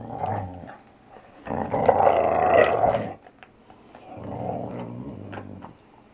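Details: Valley Bulldog Archie, a male just over three years old, growling while he plays indoors; two low rumbling growl bursts, the first short and the second longer and louder, separated by a quiet gap.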